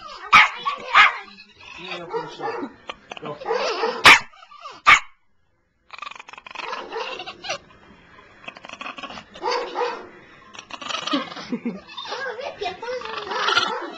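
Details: Three-year-old pet Chihuahua that dislikes the owner's sister but loves everyone else, indoors, giving bursts of sharp yapping barks and snarls in short clusters, a brief silence, then more rapid barking mixed with people talking.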